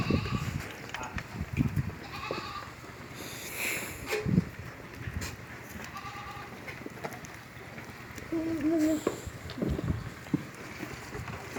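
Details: Black Bengal goats on a goat farm in Pangsha, Rajbari District, while the animals scuffle and fight: a wavering, quavering bleat near the ninth second amid shorter calls, clattering, and a man speaking Bengali.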